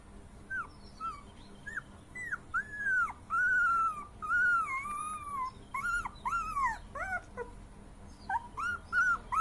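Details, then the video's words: Puppy crying: a run of high, thin whimpers rising and falling, each about half a second long, coming several per second with short gaps, some sliding up into squeaky yips, over a faint steady hum. "dog baby crying"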